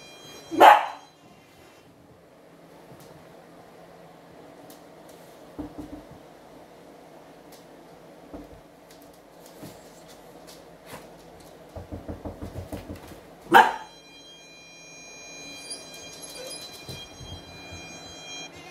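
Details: Young dachshund hound wearing a non-shock anti-bark collar with sound and vibration modes, trained against excessive barking: two sharp, loud barks, one near the start and one about thirteen seconds in. Each bark is followed by steady electronic beep tones, with quiet indoor noise between.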